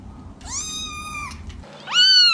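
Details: Kittens giving two meows: a long, level, high cry lasting nearly a second, then a louder rising mew that starts after a short pause.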